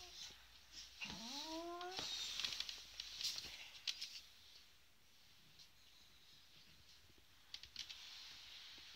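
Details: A female adult beagle, angry while being teased, lets out one sharply rising, whining cry with clear harmonics that holds for about a second, followed by scattered clicks and soft rustling.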